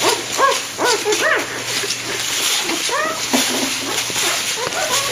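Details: Week-old golden retriever puppies in a kennel whine in quick bursts, high curved squeaks repeated more than twice a second, several pups calling together over hiss and a faint hum.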